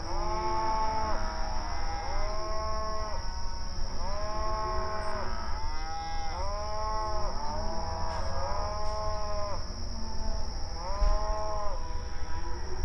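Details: Open range cattle grazing and communicating; a run of repeated moos, about six or seven drawn-out arching calls every one to two seconds, several animals overlapping, with low rumbling background and steady hiss.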